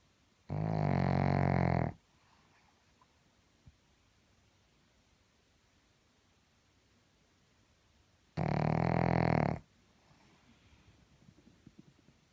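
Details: Pug snoring: two long, rasping, buzzy snores, each lasting over a second, about seven seconds apart, with quiet breathing-free stillness between.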